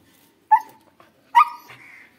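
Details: Female Siberian husky kept as a pet, vocalizing around feeding time: two short, high whining yelps with bent pitch, the second trailing into a drawn-out whine; a woman urges her to eat nearby.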